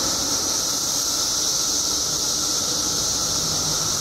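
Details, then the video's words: Continuous shrill droning of countless periodical cicadas that emerged after 17 years underground in Illinois, a constant hissing band with a thin steady whine beneath it. "Billions of Periodical Cicadas Emerge After 17 Years Underground Cicadas Making Noise"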